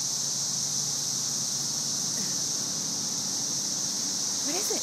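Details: Mass chorus of thousands of cicadas in trees during the May 2011 cicada invasion, a steady high sizzling hiss like white noise, with a person talking softly to a dog named Angel playing with a cicada.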